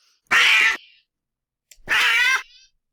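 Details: Domestic cats snarling, a sound made when about to fight, during fights, or when stressed or in acute pain; two harsh, raspy, tense bursts about half a second each, separated by a second of silence, lower pitched than a cry.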